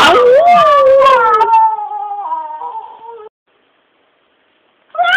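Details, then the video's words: Pet dog howling along with music, a long wavering tonal howl sliding up and down in pitch over about three seconds, starting strong and fading, then a short silence before another howl begins. "hunden min synger opera"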